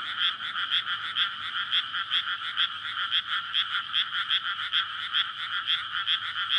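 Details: Frog chorus in a flooded rice paddy surrounded by housing, recorded at night in May before rice planting, frogs calling for courtship; dense overlapping croaks pulse steadily about twice a second, with a bright ringing trill layer throughout.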